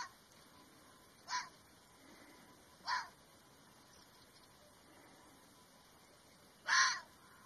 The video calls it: الثعلب الأحمر "Livin' the Wildlife" Red Fox . Red Fox sound